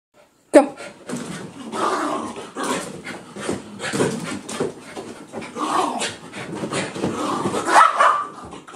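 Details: Two pet dogs, Daisy and Oliver, in a wild burst of excitement just after being bathed: rough huffing, snorting and short gruff barks in irregular bursts, with a human voice mixed in.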